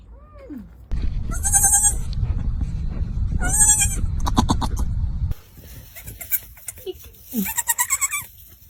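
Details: Goat scream, likened to a heavy metal vocalist: two harsh, buzzy high cries over loud low rumble, then quieter wavering bleats mixed with clicks and a person's voice.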